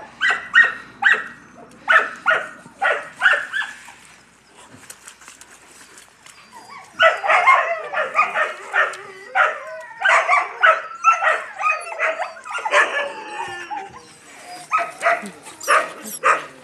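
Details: Several Yakutian Laika puppies yapping: a quick run of sharp, high barks for about four seconds, a near-quiet lull, then a denser overlapping chorus of yelps and barks that carries on to the end.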